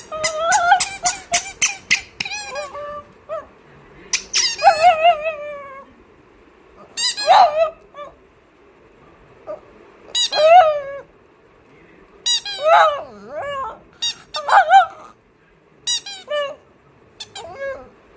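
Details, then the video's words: Cute vocalising from Oscar, a pet dog: a quick run of sharp squeaks opens, followed by longer wavering whines and yelps that rise and fall in grouped bursts, separated by short silences, with no other sounds. "Oscar making cute sounds"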